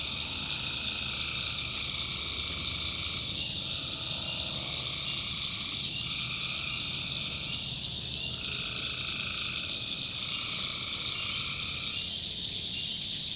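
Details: Tree frogs calling at night in a swamp in the backwoods of North Carolina: a dense, steady high chorus with overlapping lower trilled calls, each lasting one to two seconds, repeating every few seconds.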